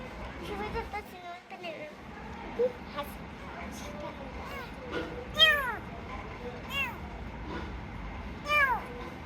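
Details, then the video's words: Sick rescued kitten calling out: after a stretch of human chatter, three sharp, high meows arching up and then sliding down, roughly a second and a half apart, over a low hum. "Cats Meowing"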